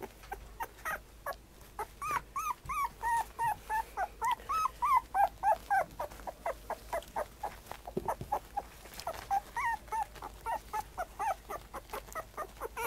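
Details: Puppy, black and tan, whimpering and yipping in a rapid series of short rising-falling whines, many per second, with brief pauses and continued bursts toward the end.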